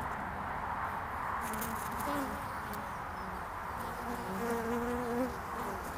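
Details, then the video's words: Early-spring honeybee traffic at the landing board of hive Furzeleigh L3, 22 February 2019: several humming passes by individual bees, each tone sliding in pitch as they fly close, against a broad outdoor hiss. "Honeybees in early spring"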